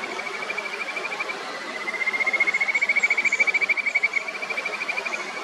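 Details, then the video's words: Kajika frogs in a territorial fight over a favourite stone in the upper Natori River, Miyagi, one trying to push the other off before giving up; a rapid, pulsed trill of clear high notes over a rushing mountain stream. "カジカガエルの争い、場所取り合戦、渓流の音、蛙の声、鳥のさえずり。"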